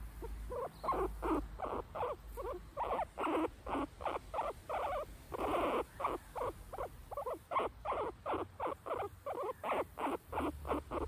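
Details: Bela, a pet guinea pig in its cage in a backyard, calls while Tikaani the husky investigates the cage; short bursts repeat about three times a second in a steady, chattering run with brief gaps, over a low outdoor hum.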